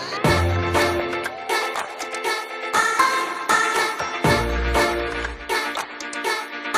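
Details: Upbeat electronic music plays throughout, with a steady driving beat, deep bass pulses and bright synth chords. No animal calls can be picked out above the music.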